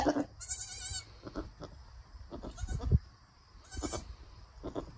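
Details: Newborn Nigerian Dwarf goat doeling with her mother after birth; a higher, wavering bleat lasting about half a second, followed by soft low murmurs, thumps and rustling, with a later brief bright burst.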